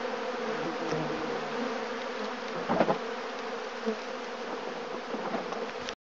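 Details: Many western honey bees make a dense, steady hum, wingbeats blending into one drone, as they swarm and rob out empty, just-extracted honey boxes set out in a bee yard.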